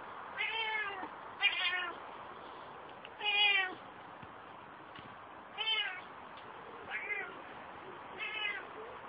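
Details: Kia, a female Ocicat Classic, on her first time in an outdoor run after only ever leaving home in a basket for the vet or shows, meows loudly and repeatedly, about seven bright, harmonic, falling calls spaced a second or two apart.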